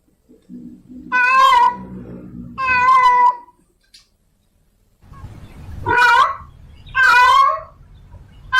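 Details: Female domestic cat in heat calling for a male, drawn-out harmonic meows with a wavering tone, four calls in two pairs separated by a quiet gap, low rumbling background noise between calls.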